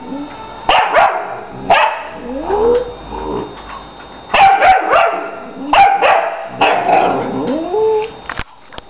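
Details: Lady and her puppy Ursa chatter back and forth: a rapid series of loud barks mixed with higher, rising yelps and whiny upward-sliding calls, bursts coming every second or so.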